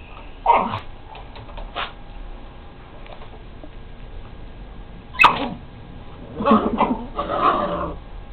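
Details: Dogs give a few scattered barks in short bursts with long quiet gaps between them. A person speaks nearby.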